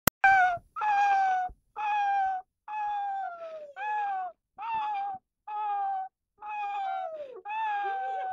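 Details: Young 12-month-old pet Rottweiler 'singing' one morning: a run of short, tonal, yodel-like howls about a second apart, each holding a steady mid pitch, some sliding down at the end, in a quiet indoor setting.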